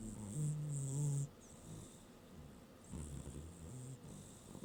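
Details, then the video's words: Pet cat asleep on a working desk gives a deep, droning snore lasting about a second, then a quieter rasping breath a couple of seconds later, with a breathy hiss over each. "Snoring Cat"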